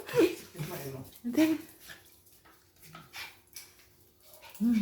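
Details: Coco, a toy poodle out on a morning walk, gives three brief, high whining yelps spaced over a few seconds, the last one slightly lower and longer, with human voices talking around her.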